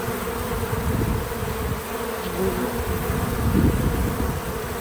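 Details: Bees at a feeder, natural buzzing of several insects, a dense low drone with overlapping wingbeat hums swelling toward the end, over a steady hiss.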